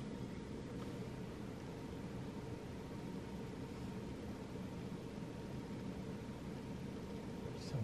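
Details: Quiet indoor hum and faint hiss, with no meow or other animal sound standing out.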